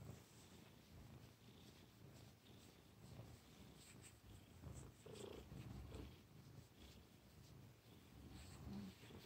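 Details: Quiet, continuous purr from a domestic cat, a low grainy rumble with an uneven pulsing rhythm throughout and faint soft hisses above it.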